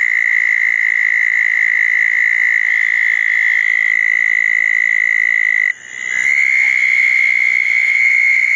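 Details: Southern toads calling at a pair of small dug ponds on a wet night after a thunderstorm, 10 June 2014: a steady, high, unbroken trill that cuts out near six seconds, then a fresh trill starts at once.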